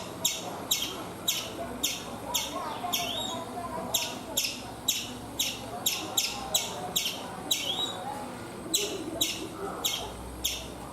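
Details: Chipmunk perched on a coconut tree in India uttering a rapid, persistent string of sharp high chips, near two per second, with a short gap before the final few notes.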